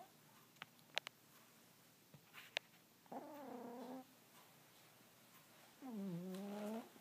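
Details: Earl, a sleeping cat, snores in two drawn-out wavering whistly breaths about three seconds apart, each close to a second long, after a few faint clicks and taps indoors.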